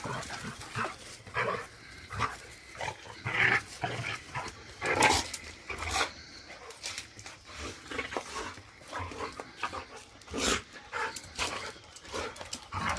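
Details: A big Rottweiler wrestling with a puppy makes low, throaty growls and snorts in irregular bursts of about a second, with thumps, scrabbling and occasional higher yips.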